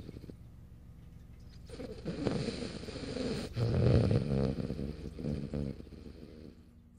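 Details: A French Bulldog, Morio, sleeping on a lap on March 8, 2012, lets out one long, rumbling, rattling snore that swells to a peak and fades over about five seconds.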